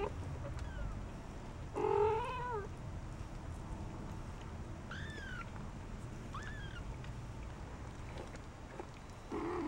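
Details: Shaded golden Persian kittens four weeks old, out and about in their corral: scattered high mews, one short rising-falling cry near two seconds, thin falling mews later, and a harsher call at the end, with low room hum throughout.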